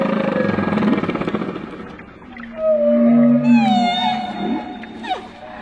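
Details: Gray whale in shallow water, a low moaning call holding steady then rising, followed by higher tonal whistles with layered harmonics and a brief upward sweep near the end, over constant engine-like rumble and water noise.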